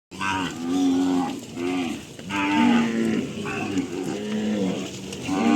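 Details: Cattle on a farm lowing repeatedly, a chorus of drawn-out moos with rich harmonic tones, several animals calling in overlapping succession roughly every second.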